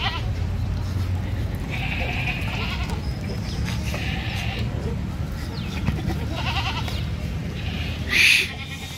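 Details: Male Sirohi goat at a goat farm in Nagaur, Rajasthan, India, giving a series of nasal, wavering bleats, roughly four spread over nine seconds, over a steady low rumble with people talking in the background.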